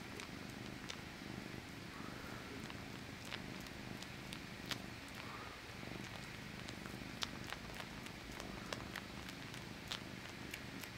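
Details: Pet cat, a male, sucking on his own paw. A soft, continuous low purr runs under frequent crisp wet clicks from the sucking, with no other clear sounds.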